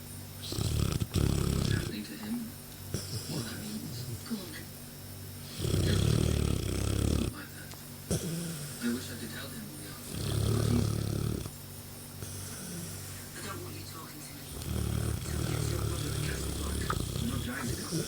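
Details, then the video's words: Ra, a sleeping Mastiff cross, recorded 22 June 2014, gives four long, deep rumbling snores roughly every four to five seconds, with television dialogue murmuring in the pauses between breaths. "My Mastiff x Ra asleep & Snoring"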